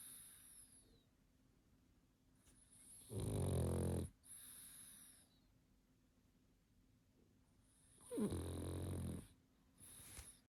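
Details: Pug asleep and snoring: two rough, rumbling snores about five seconds apart, each lasting roughly a second, with soft hissy whistling breaths between them.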